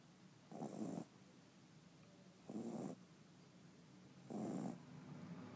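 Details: A 5-month-old Shih Tzu puppy snoring in its sleep: three soft, rasping, breathy snores, one roughly every two seconds, each lasting about half a second, with quiet breathing between them.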